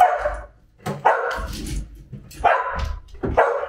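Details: A female Samoyed, overjoyed to see her father return after a week away on business, gives four rough, grumbling growl-barks about one second apart, each a short throaty burst, with faint shuffling between them.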